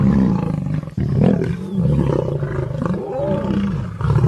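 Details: Lion in Serengeti National Park roaring and growling, low throaty voice with a short break just before one second, then wavering harsh tones rising and falling to the end.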